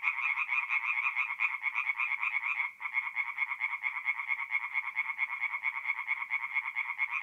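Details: Night chorus of tree frogs at a forest pond, north-east Italy, mid-April: fast, buzzy croaking pulses repeated continuously by many frogs, with a brief dip in loudness near the three-second mark before the rattle resumes.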